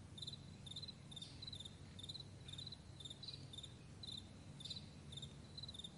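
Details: On a broad meadow at morning, crickets give rapid, high, pulsed chirps in an uneven rhythm of short bursts, set against a dull low-pitched drone.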